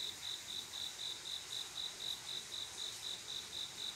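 A cricket gives a high, clear, trilling chirp, repeated evenly about four times a second. The pulses run without a break, with only a soft background hiss and no other clear sounds.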